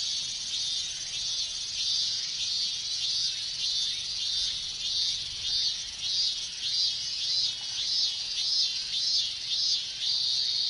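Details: Japanese summer cicada chorus of minmin cicadas in hot weather: a regular high pulsing, each rasping beat swelling and fading roughly every half second, laid over a constant shrill drone of many other cicadas.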